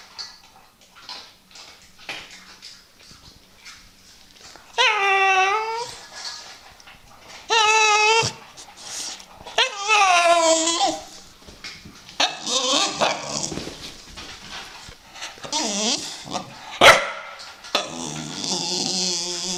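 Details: Dog making weird noises in a funny compilation: several drawn-out, wavering, harmonic howl-like whines rising and falling, interspersed with short yelps and snuffling sounds, indoors.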